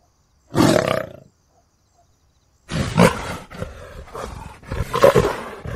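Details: Leopard roaring: one short, harsh, broadband burst, a pause of over a second, then a run of rough, rasping grunts in uneven pulses.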